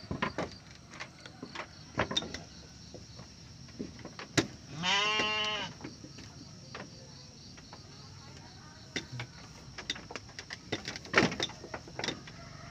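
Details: Garut sheep, a ewe giving birth to triplets: one loud, harmonic bleat lasting under a second, rising then falling slightly. Scattered clicks and knocks come before and after.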